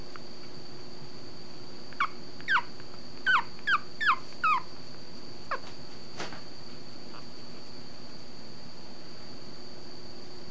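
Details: A female long-coat Chihuahua puppy, 30 days old (born 2014-08-22), in Fukuoka on September 21, gives a quick series of thin, high, falling whimpers, then falls quiet.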